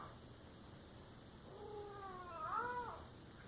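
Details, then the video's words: House cat letting out a single long, rising then falling yowl in a quiet room, growing louder toward its end. "Funny cat sounds"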